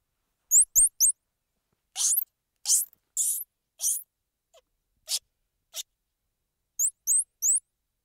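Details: Squirrel monkey vocalising: three fast, very high rising chirps, then harsh buzzy bursts and short sharp clicks, ending with another trio of quick upward-sweeping chirps. The background is quiet and clean.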